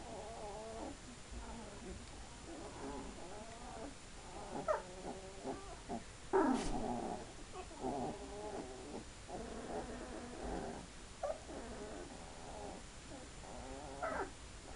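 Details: Two-week-old Hungarian Vizsla puppies giving soft, harmonic squeaks and whines scattered through the stretch, with one sharp brief squeal midway over a steady low hum.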